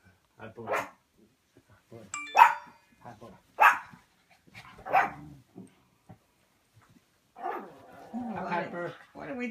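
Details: Pet dog Butterball barking indoors at a notification chime that usually sends her running to her dad; a bright ding near the start, then four or five separate sharp barks spaced about a second apart, with voices and music between.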